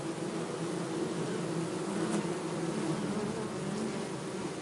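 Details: Continuous bee buzzing: a thick, low humming drone that swells slightly and wavers in pitch, with a brief faint click near the middle.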